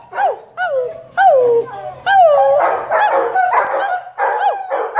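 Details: Five-month-old Irish Wolfhound puppies howl together in overlapping, wavering cries that rise and then slide downward.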